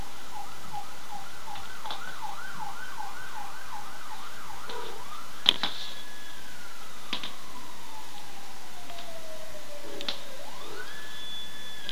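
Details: A wailing siren rises and falls rapidly, then gives way to a long slowly falling tone, with a few sharp clicks and no animal voice.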